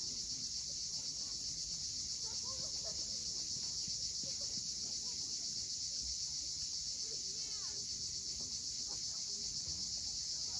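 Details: Crimean coastline at Cape Fiolent around sunset: cicadas keep up an unbroken shrill drone, pulsing about four times a second, with faint scattered chirps and low background rumble.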